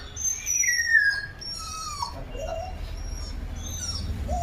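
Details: Mother street dog that lost her puppies, crying as she looks for them: a high whine slides downward, then trails into softer, lower whimpers, with light background noise and faint bird chirps.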